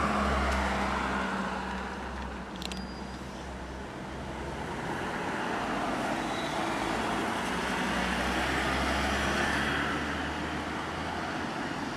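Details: Steady street traffic with passing cars and rumbling engines, a constant low hum of vehicles and no animal voice.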